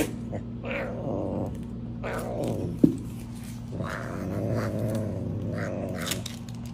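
A serval gives drawn-out, growling wails in several bouts, asking for food.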